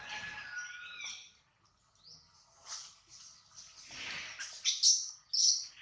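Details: A baby monkey named Adler, said to miss his mother and be hungry, cries while held by a small monkey: thin, high squeals and chirps in broken bursts, some rising or wavering, the loudest cries coming near the end.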